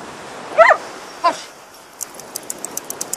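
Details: Dogs running together on Yarmouth beach, whippets alongside a Bedlington-whippet cross: one loud clipped bark, then a weaker second one, followed by a quiet stretch with a run of light, regular high ticking sounds over a soft surf background.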